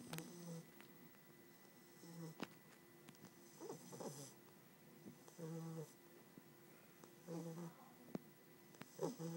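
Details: A sleeping 3-month-old English Bulldog puppy snores in rough, rattling bursts with uneven pauses between breaths.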